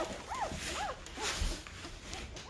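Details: Noisy newborn Great Bernese puppies, five days old, a Great Pyrenees and Bernese Mountain Dog cross, let out arched, high squealing whimpers roughly every half second, with some rustling and soft voices behind.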